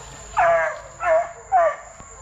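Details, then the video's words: Plott Tan pups, a Plott hound and black and tan coonhound cross, 8 weeks to 5 months old, from deer-tracking parents: three short, hoarse bawling notes about half a second apart, each sliding downward in pitch. "Plott Tans from 8 weeks to 5 months"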